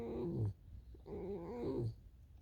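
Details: Alisa, a tame fox, on a snowy day as snow falls: two low, rough, growly whines with a wavering tone, each about half a second long and separated by a short pause.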